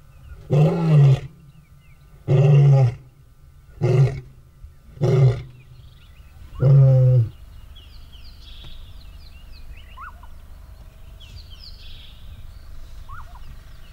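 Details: Two rival male lions are separated by a territory fence as the older male dominates the younger. Five short, deep roars come in the first seven seconds. Afterwards only scattered bird chirps and quiet background remain.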